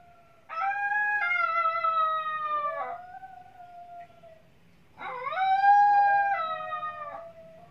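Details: A white Toy Poodle gives two long, high, tuneful howls, each swelling in and sliding slightly down at the end.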